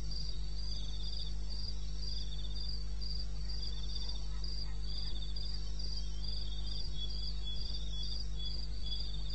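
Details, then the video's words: Crickets calling in the wilderness of eastern Botswana at 2:30 AM on 21 May 2016: high, shrill chirps repeating several times a second, with softer buzzy trills from a second caller slightly lower, over a steady low rumbling hum. "1 Hour cricket sound"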